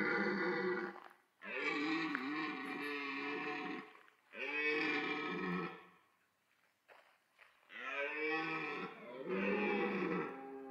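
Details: Red deer stags during the autumn rut at Parc Sainte-Croix wildlife park, where the roar draws females. Four long, harsh, rich-toned roars lasting two to three seconds each, broken by short silent gaps, with no other sounds in between.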